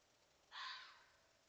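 A fox gives a single harsh, raspy bark, a brief hoarse burst directed at a coyote.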